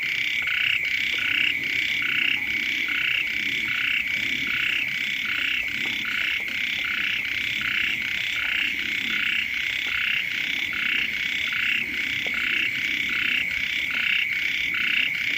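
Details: Chorus of frogs and small frogs by a house in the first rains, ueng frogs calling loudly too; pulsing, fairly high croaks repeat rhythmically and densely throughout, with soft low background noise.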